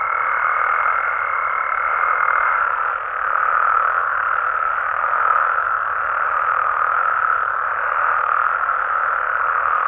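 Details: Nighttime chorus of frogs and toads in natural Mexican habitat, a dense, constant croaking; a thin high tone heard at first fades out early, leaving only the massed calling.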